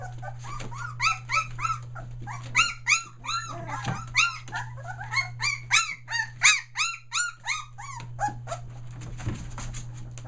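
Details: Several Australian Shepherd puppies, a day short of three weeks old, including three merles, calling indoors near Mooresville, North Carolina, as they find their voices: rapid, overlapping high-pitched whines and yelps, each arched in pitch, over a steady low hum.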